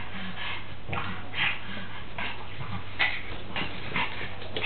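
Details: Molly, a pet pug, tussles with a horse doll indoors, letting out brief yipping and whimpering bursts roughly every second, over a constant low hum and scuffling noises.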